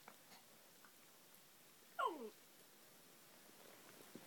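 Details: A small Corgi puppy gives a single brief, high yelp that slides quickly downward in a quiet room.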